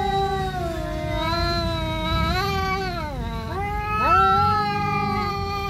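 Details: Siamese cat confronting an orange cat over territory during a fight, giving a continuous caterwaul that holds steady, then bends down and swoops back up in pitch, loud and tonal throughout.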